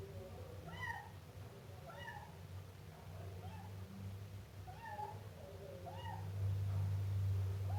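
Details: Young Siamese cat mewing in a rapid series of short, rising-then-falling cries, about one per second, with a heavy low hum that swells toward the end.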